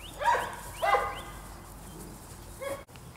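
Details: Presa Canario puppies on attack at a kennel: two quick yappy barks in the first second, then a softer third bark near the end, over low background hum.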